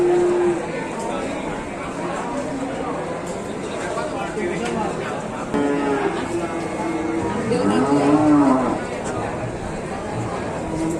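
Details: Calf mooing amid other cattle, several drawn-out harmonic moos overlapping, one rising then falling call near the middle, steady murmur of herd and faint voices throughout.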